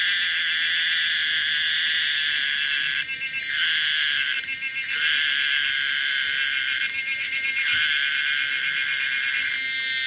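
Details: Common cicada Pomponia linearis producing a sustained shrill buzz, broken by short dips and gear-like shifts roughly every one to two seconds, giving a weird, modulated quality.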